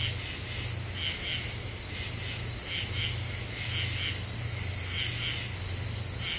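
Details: Common true katydids at night in an Ozark deciduous forest, July 2013, eastern United States: quick raspy double and triple pulses recurring steadily, set against a constant high insect buzz with a low hum beneath.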